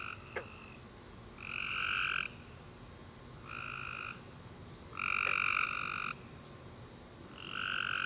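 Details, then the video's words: Tree frogs calling at night after a warm summer rain: somewhat distant buzzy, level trills of one to one and a half seconds, spaced by short silences, with a single faint click near the start. "Tree Frog Chorus After A Warm Rainy Day"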